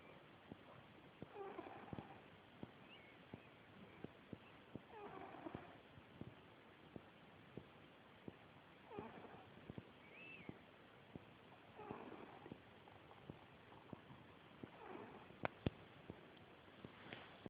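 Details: Bowy, a female cat, snoring: soft, raspy breathing sounds come in slow waves about every three to four seconds, with scattered small clicks and faint background hiss.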